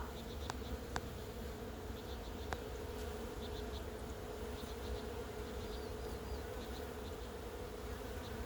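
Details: Thousands of Western honey bees swarm one plum tree in full bloom in a garden, making a dense, steady hum, with a few faint bird chirps above.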